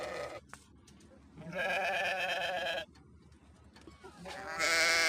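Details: Sheep bleating: a long, quavering, nasal bleat of about a second and a half in the middle, then another loud bleat starting at the very end, with quiet pauses between.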